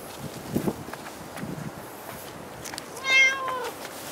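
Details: Cat at Dockyard Garden, recorded 28 August 2016 around 6:10 in the morning; a single clear, drawn-out meow near the end, preceded by soft tapping and clicking noises over a hissing background.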